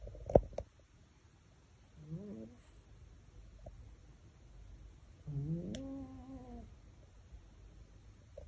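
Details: Sleeping male Maine Coon cat hugging a fish toy makes two rising, nasal, groaning snores, the second longer and louder, plus a few soft clicks and rustles.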